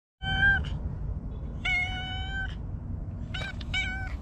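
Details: Stray cat nicknamed Hige Danshaku in a park gives three clear, tonal meows: a short one, a long level drawn-out meow, then a pair of quicker meows near the end, over steady low background rumble.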